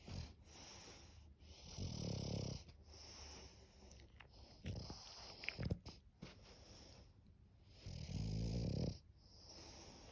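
An English bulldog snores in deep, rumbling bursts with short quiet pauses between breaths.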